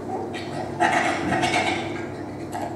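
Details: Bonobo; laughter; laughing response to being tickled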